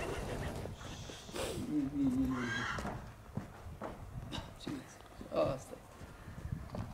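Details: A mare in Horodnic de Sus, Bucovina, January 2018, gives a wavering, falling whinny lasting nearly a second amid people talking, with hoof clatter and handling noises before and after.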